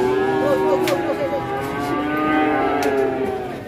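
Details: Very large cattle unloaded from a truck at a market and sold at once; one long, steady, low moo runs through the whole clip, with background music and faint voices.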